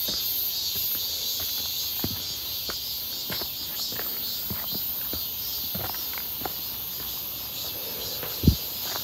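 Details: Cicadas calling on a clear, hot midsummer day near Seonbawi, 1 August 2023, heard on a walk: a steady, shrill, high buzzing drone fills the background while footsteps crunch at irregular intervals, with one louder thud near the end.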